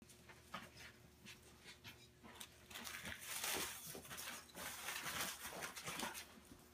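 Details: Hyper French Bulldog puppy panting and snuffling in rapid, irregular bursts, with sharp broadband clicks and scuffling that grow louder after the first few seconds, over a low steady indoor hum.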